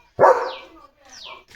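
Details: Leo the German Shepherd after chasing dogs from the gate: one loud bark followed by a fainter second sound, with a falling whistle-like tone above.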